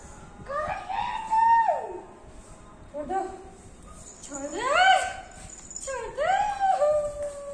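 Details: Max, a Golden Retriever, in his morning play routine indoors, pushing his owner to play: four drawn-out, tonal whining howls that rise then slide down, each lasting about a second, with short pauses between them.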